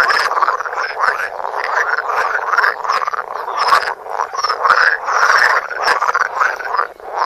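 A dense chorus of frogs croaking, overlapping rasping calls that pulse continuously.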